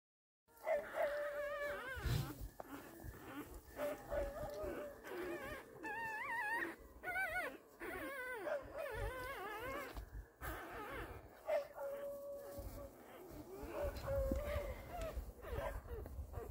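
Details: Newborn Beagle puppies from a 2023 litter of seven, six males and one female, five chocolate and two possibly tricolor, born to Macy: wavering, rising-and-falling high whimpers and squeals in repeated bursts, with brief soft human voices in places.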